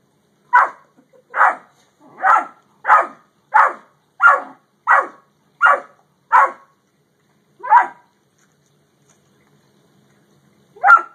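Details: Dogs, a Great Dane and a Yellow Lab, give nine evenly spaced sharp barks, then pause, with two isolated barks following after a quiet gap.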